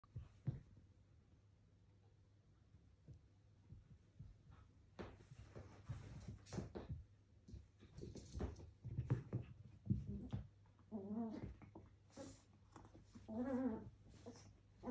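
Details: Two Pomeranians, a male and a female named Cookie and Candy, squabble indoors over a toy; scattered scuffling and short growling bursts, then rising whiny vocal bursts near the end, with a voice calling their names.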